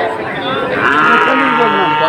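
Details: One brief, rising then falling moo from Friesian or cross-breed heifer calves bought by Dhaka farmers on 12 August 2024, with faint background voices.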